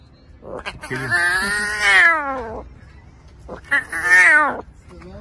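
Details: A lion cub (Panthera leo) practising its roar gives two drawn-out, moaning cries that rise and then fall, like a hoarse, meow-like roar.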